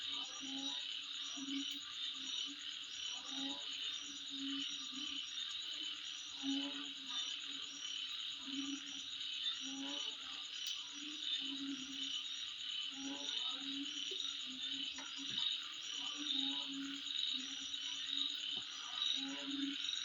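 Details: A continuous shrill buzzing of many insects carries through twenty seconds at midnight. A rhythmic series of low croaks repeats roughly every second beneath the chorus.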